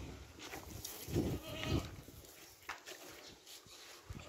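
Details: Goat eating watermelon, close-up: wet, crunchy chewing bursts, two loud bites near the middle followed by softer, irregular smacking, with light background hiss.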